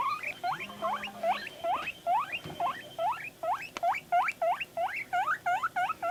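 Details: Guinea pig Panda at home, vocalizing as videos play: rapid, insistent upward-sweeping squeals repeated about three times a second, with a faint steady hum underneath and a brief click midway.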